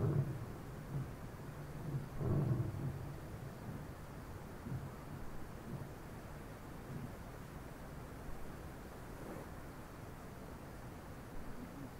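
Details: Low, steady rumbling noise resembling distant thunder or wind, with a louder swell near two seconds and no animal sound.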